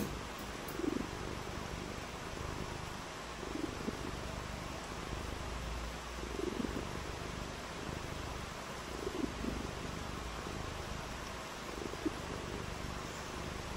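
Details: Domestic cat purring on a rainy day while playing in the rain; soft low purr swells return about every two to three seconds, each breath-like, under a steady broadband hiss of rain throughout.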